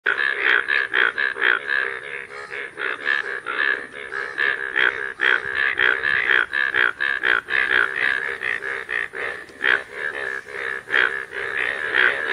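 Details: Rain frogs calling in fields as the rain arrives: a dense chorus of rapid, pulsing croaks around a mid-pitched band, overlapping calls repeating roughly twice a second without pause, with a faint steady high tone throughout.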